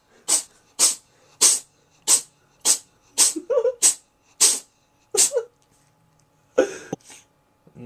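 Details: Cat named Sammy sneezing hard indoors: a rapid series of about nine sharp hissing sneezes roughly every half second, some with a short voiced catch, then a pause and two rougher bursts.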